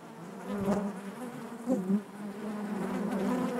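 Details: Inside a bee hive, a dense, low buzz drones on continuously. Two brief louder swells break through, one early and a stronger one near the middle, before the hum settles back to an even, steady drone.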